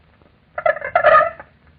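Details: A single male Aedes aegypti (yellow fever mosquito) responds to a female call with a brief, wavering buzz that sounds rather like a quail or partridge; 1945 recording.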